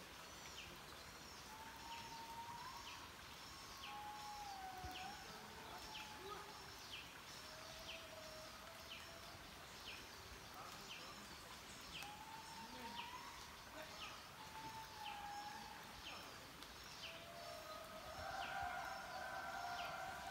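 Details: Indri lemurs (Indri indri) sing in Mantadia-Andasibe National Park, with long wailing, siren-like tones that slide up and down over a steady insect chorus. These calls carry for miles.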